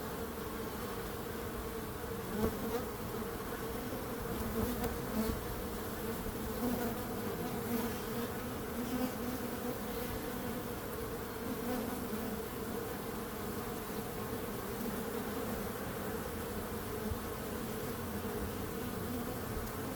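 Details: Bees humming as a continuous swarm drone, low and even, with small swells in loudness early on and a constant wash over the full twenty seconds.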